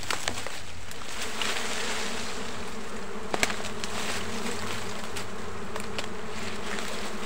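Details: Honey bees in a forest give a steady, low droning buzz, broken by a few sharp clicks.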